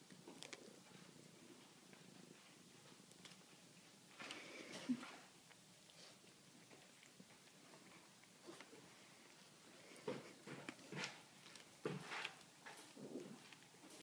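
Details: Maxwell, a kitten at the Chemung County SPCA, purring softly and steadily indoors, with a few brief rustles and clicks rising above the low hum around the fourth, tenth and twelfth seconds.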